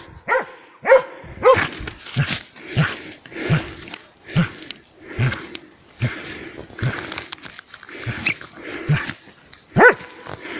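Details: Laika dog working a moose on an elk hunt, heard at close range. Loud, separate barks repeat roughly every half second to second, some doubled, over a quiet background.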